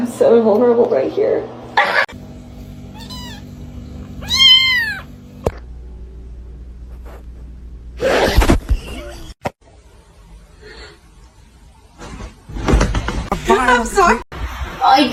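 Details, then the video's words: House cat indoors giving several short rising-and-falling meows between stretches of people talking and laughing, in a funny cat compilation. "cats meowing"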